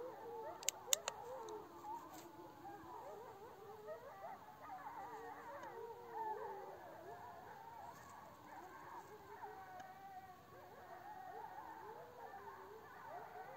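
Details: A pack of about 10–12 gray wolves (Canis lupus) in the Taurus Mountains, Turkey, chorus-howls right beside a tent, their long wavering voices rising, falling and overlapping.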